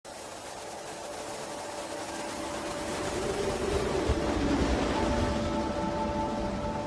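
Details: Continuous engine-like rumble with steady tones, slowly growing louder, and no clear animal calls.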